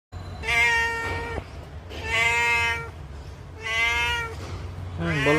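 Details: Domestic cat, blinded in one eye, meowing in long drawn-out mournful cries, three rich harmonic meows of about a second each with short gaps, then a fourth beginning; low hum underneath.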